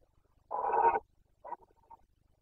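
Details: Rutting Carpathian stag in Bucovina, breeding season 2021. One harsh, throaty roar of about half a second, followed by two short, softer grunts.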